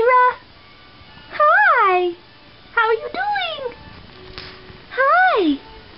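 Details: Tiny kitten meowing indoors: four loud, rising-then-falling meows about a second apart, some longer and drawn out, with a person talking softly to it between calls.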